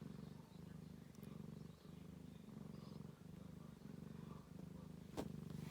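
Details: Ragdoll kittens and their mother on a heat mat during cold weather, kittens feeding. A steady, deep purr rises and falls in regular bursts about every half second, with one sharp click near the end.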